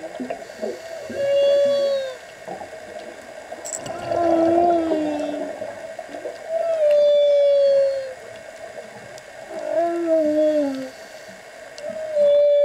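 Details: Humpback whale serenading divers underwater: a repeating phrase of drawn-out moans, each sliding downward, arriving roughly every three seconds in alternating higher and lower tones, with faint watery gurgles between.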